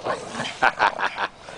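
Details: Oliver, a Pug, Pekingese and Shih Tzu rescue puppy, meets the pack and plays with other dogs. About four short, bright yelps come in quick succession within a second. Soft rustling and a person's voice sit in the background.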